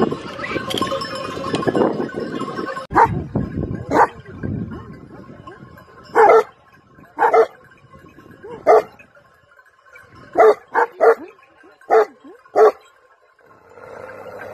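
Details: Mastiff kept with sheep in Iran barks in single deep, harsh bursts, about eight over the latter half, some in quick pairs. Flock noise and bleating fill the opening seconds, and a steady ringing tone runs throughout.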